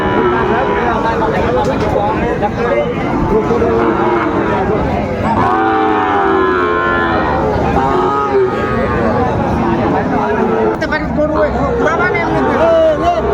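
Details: Bulls and calves at busy Raniganj cattle market, Chapainawabganj, on 19 September 2024. Several harmonic moos stand out, a long one midway and another near the end, against continuous crowd talk and market noise.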